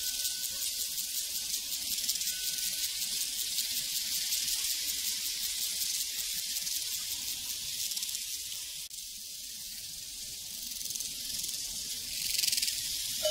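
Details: On an open prairie, a continuous chorus of crickets shimmers high and even, dipping slightly in loudness midway and rising again near the end, with a faint bell ring at the start.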